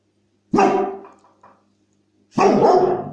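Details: Pet dog reacting to a squeaky toy sound played from an online clip, giving two loud barks, the first a short sharp woof and the second a longer, rougher bark after a pause.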